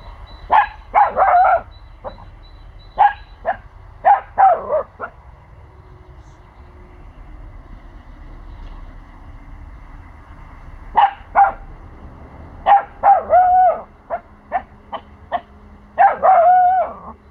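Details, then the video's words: A 4-month-old male Pomsky puppy barks in sharp, high bursts, guarding his territory after hearing sounds from the neighbours' house that he is unsure of. "Pomsky puppy barking and protecting his territory"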